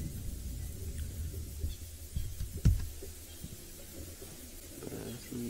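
Low rumbling background noise with a single sharp knock and no animal voice.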